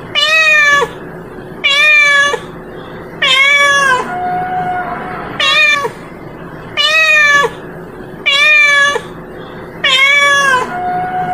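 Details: Female domestic cat calling to its companion and inviting a mate, giving loud harmonic meows about every 1.5 seconds, each steady then dropping at the end, with a low background hum between calls.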